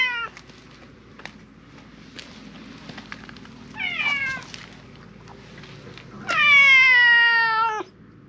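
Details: Silver tabby cat calling out loudly as if demanding something. Two short meows are followed by a long, strong meow lasting about a second and a half that holds its pitch and then falls. Light tapping sounds are heard between them.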